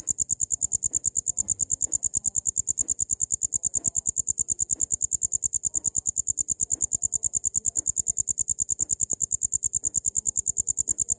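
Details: A cricket's chirping, used for training songbirds: a steady, very high, shrill trill made of fast, even pulses, loud and unbroken throughout with no other clear sounds.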